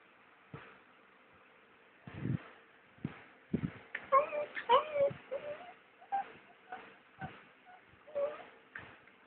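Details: Cookie, a pet dog, cries and whines indoors at 1am on 29 August, sitting beside someone packing for a trip to Turi Beach. Soft thumps lead into a burst of high, wavering whimpers midway, then shorter whines trailing off.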